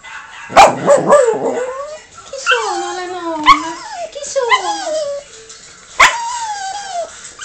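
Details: A female Yorkshire Terrier gives sharp yips and drawn-out, falling whines in reply to other dogs heard in videos playing on a monitor.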